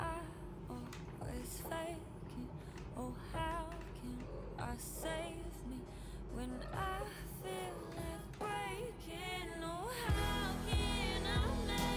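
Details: A sung pop tune with female and child voices over guitar and beat, no animal sound.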